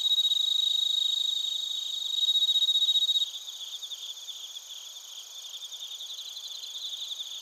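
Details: Crickets, including bell crickets, recorded in Narita, Chiba Prefecture, Japan, on a TASCAM Portacapture X8. A loud, pure ringing trill with rapid even pulses drops away after about three seconds, leaving a softer chorus of high chirps.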